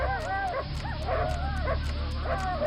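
A dog gives high, sliding yips and whines in quick repeated bursts over a low, steady musical hum.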